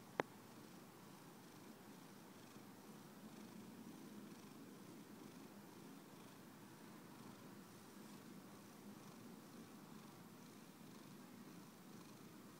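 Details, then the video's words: Pet cat purring softly, a quiet low rumble running evenly throughout after a brief sharp click at the very start; no other sounds. "Simon purrs"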